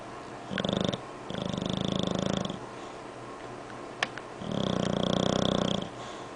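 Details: Sleeping English Bulldog snoring indoors: three bouts of rough, rattling breaths, each lasting one to one and a half seconds, separated by short quiet pauses with a faint click between.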